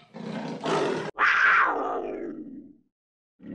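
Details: A leopard gives a harsh, rasping roar in two rough bursts, the second falling away into a growl.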